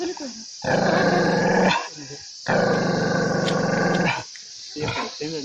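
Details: Angry dog growling in two harsh, sustained rumbles of about a second each, separated by a brief gap, ending with a few short yelping whines.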